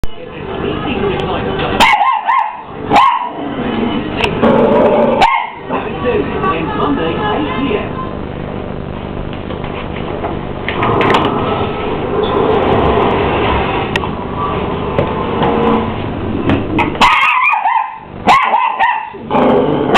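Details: A 12-week-old Miniature English Bull Terrier puppy squares up to a running hoover, letting out short, harmonic barks in a few clusters over the steady broadband drone of the vacuum.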